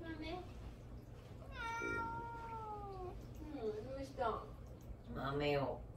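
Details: Pet cat indoors meowing for attention while its owner deliberately ignores it; a long drawn-out falling meow, then shorter rising and wavering mews, with a man speaking softly in Japanese.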